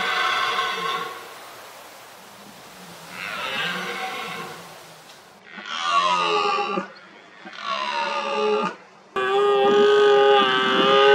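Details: Rutting red deer stag roaring to intimidate rivals and impress hinds: long, hoarse, harmonic bellows that rise and fall, repeated four or five times and growing louder and more sustained toward the end.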